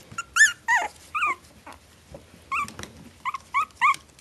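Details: Litter of four-week-old Maltese Shih Tzu cross puppies giving high, tonal whimpers and yelps that arch up and fall, in clusters with short pauses, the later ones briefer and repeated about every third of a second, indoors.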